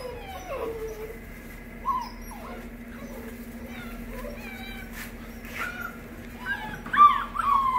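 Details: A male AKC Great Pyrenees puppy from Norco, California, born 9 April 2020 to a Hungarian-imported sire. Soft scattered whines open the recording, a quieter stretch follows, then louder, higher squealing whimpers come near the end over a low hum.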